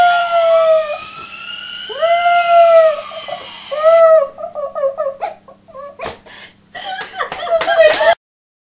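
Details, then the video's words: Pet dog howling in response to ambulance sirens: long, wavering, arching howls, then broken, choppy yelps and squeals that sound almost monkey-like. "Wolf Dog Howling"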